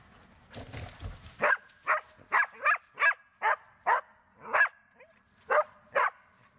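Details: Border Collie Tara barking during search and rescue training; a rustling noise opens, then about ten crisp barks follow at an uneven pace, ending with a handler praising her in Croatian.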